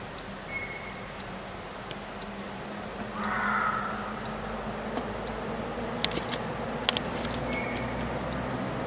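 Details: At night a Reeves's muntjac gives a single short, hoarse, rasping bark over a steady low hum, followed by a few faint clicks.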